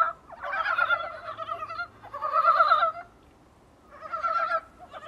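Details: Dybowski's brown frogs, recorded from a small room's window, give bursts of rapid, clucking, gobbling notes about a second long.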